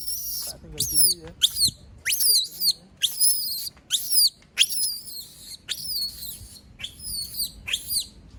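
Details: Female monkey screaming when left alone: a steady run of about twelve piercing, high shrieks, each sharply falling, repeated roughly every half to three-quarters of a second.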